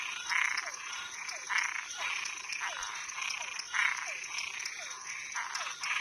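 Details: At night, frogs and tree frogs give harsh buzzy croaks lasting about half a second, several per second or so, each followed by a short falling chirp, against a continuous high drone.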